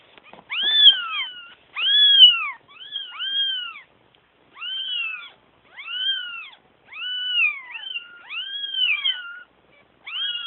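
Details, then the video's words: Kittens calling for their mama with repeated arched mews, each rising then falling, coming in a steady series roughly every second with brief silences between calls. "Kittens crying for mama"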